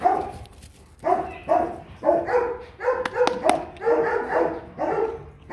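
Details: Rottweiler barking in separated bursts, single and doubled barks about every second, each with strong stacked harmonics; a few sharp clicks sound partway through.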